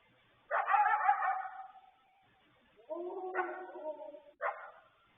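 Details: A coyote trades yippy, harsh barks with wolves for several minutes around 9 pm on the evening of 12 May 2020, each bark trailing off into a rough, wavering tail.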